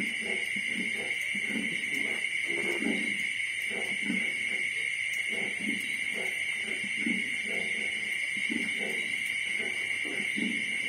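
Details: Twenty-five-day-old piglets, one litter due to be weaned and split up the next morning, giving short, low grunts in irregular clusters throughout, with a constant shrill buzzing tone in the background.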